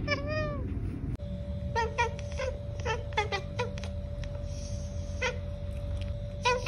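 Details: Domestic cat chirping and chattering: a rising-falling harmonic call, then a run of short clipped chirps in quick bursts over a steady low hum and a constant tone.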